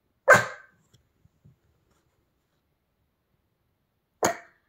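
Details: Spinning Pomeranian lets out one loud, sharp bark, then after a pause of nearly four seconds a second, slightly softer bark, with a few faint taps in between.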